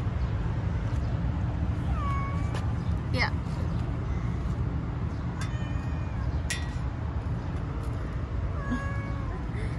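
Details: Three-legged stray cat on a street, being petted, giving short rising meows around two and three seconds and again near nine seconds, over steady low traffic rumble and a man's soft coaxing voice.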